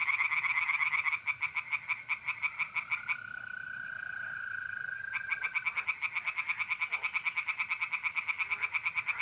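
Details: Pond tree frogs on a mid-April night in north-east Italy. A busy pulsed chorus falls silent for about two seconds, leaving a mole cricket's smooth steady trill alone, then the rapid croaking returns.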